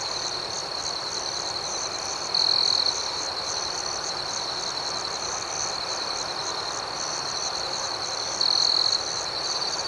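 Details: Night ambience of crickets: an unbroken high-pitched shimmering trill, with two brief, louder bursts of rapid pulsed chirping roughly six seconds apart.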